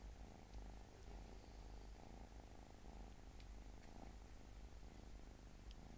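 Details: Small pet cat giving a soft, even purr, a deep buzzing rumble pulsing quickly without a break, with a few faint ticks in the background.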